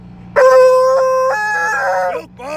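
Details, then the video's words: Loud male Treeing Walker Coonhound howling while being taken to the vet, one long steady bay of nearly two seconds that breaks into a wavering yodel and ends in a short rising yelp, over a low constant car drone. "Treeing walker coonhound going to the vet."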